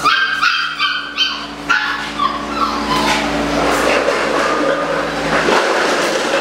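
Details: Eight-week-old Malinois puppies in July 2015 give a few sharp, high yapping barks at the start, then fade into softer scattered whimpers over a constant background hum and hiss.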